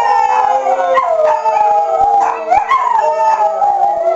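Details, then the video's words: A pack of pet dogs howls back at tornado sirens on monthly test day. Dense, layered howls bend upward and downward over a flat, continuous siren tone. "Howl Day"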